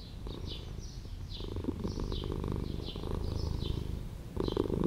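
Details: Street cat living in an old house, purring steadily: a low, rumbling pulse runs throughout, swelling in bursts, while short high sweeping chirps recur roughly every half second above it.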